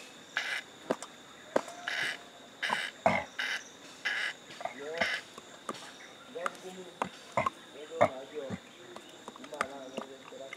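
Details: Male chimpanzee Stanley grooming his pal Gabby at a sanctuary, with quick dry lip-smacking clicks in bursts and some soft voiced grunting sounds running through the later seconds.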